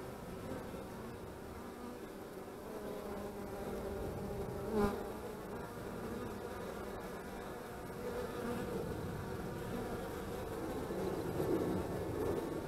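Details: Many honey bees humming around their hives in March 2015 during beekeeping work; a thick, unbroken drone that grows slightly louder toward the end, with a single sharp knock near the five-second mark.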